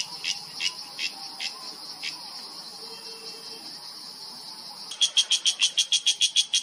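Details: Cicada in Himalayan mountain forest, Uttarakhand, India, September 2023: a few spaced rasping pulses over a continuous high buzzing drone, then a sudden burst of loud, rapid, regular pulses near the end.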